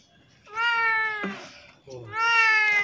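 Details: Hungry, thirsty stray cat with severe scabies that came to a house crying for help; two long, drawn-out harmonic meows, each about a second long, slightly falling at the end, with a short gap and faint voices between.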